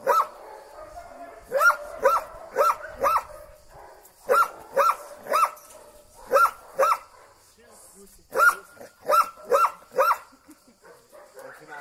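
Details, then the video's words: Storm, a female Belgian Malinois, greets her owner in a forest in Lebanon after a 25-day separation with excited barking: clusters of three to four loud, sharp barks repeated over several seconds, with a man's voice faintly heard. "Heartwarming Reunion with My Belgian Malinois After 25 Days Apart"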